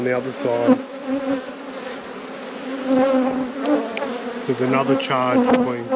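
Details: Honey bees humming at an apiary during hive inspections: a steady, droning buzz with a strong low tone and overtones, with passing bees rising and falling in pitch and brief low murmurs underneath.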